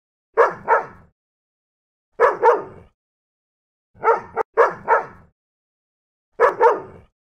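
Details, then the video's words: Angry dog barking in quick double barks, each pair separated by about two seconds of silence, sharp and clear with no other sounds. "ANGRY DOGS BARKING"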